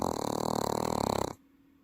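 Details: A sleeping Welsh Corgi kept as a pet in Paju, South Korea, gives a loud, rough, vibrating snore that sounds like a human's; the rattle cuts off abruptly into room quiet.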